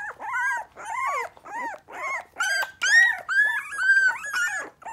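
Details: Three-week-old Miniature Pinscher puppies, three standard females and two chocolate males, indoors and still nervous: a steady string of high, arched whines and squeals, roughly two a second, with overlapping voices.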